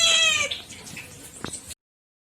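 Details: One of several pet cats utters a single loud, harmonic meow that fades downward, followed by quiet rustling and a brief tap before the sound cuts off.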